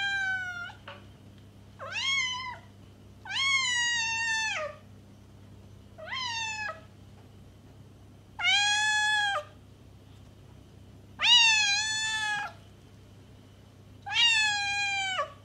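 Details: Domestic cat meows used to attract a stray cat: six clear, harmonic-rich meows spaced about two seconds apart, some short and falling, others longer and level with a drop at the end, over a faint low hum.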